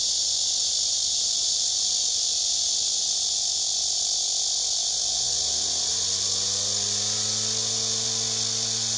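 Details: Cicadas gathered on a tree with males singing and rivals being pushed away, filmed by phone: a continuous shrill buzz throughout, joined midway by a low mechanical hum that swells and rises in pitch.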